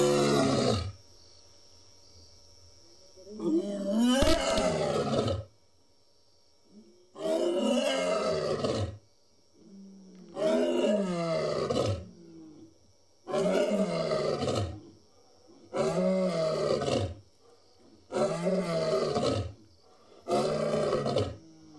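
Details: Lion roaring in the wild: a heavy opening groan followed by a long series of deep, grunting roars, each lasting about a second and repeated every two seconds or so, fading between bursts.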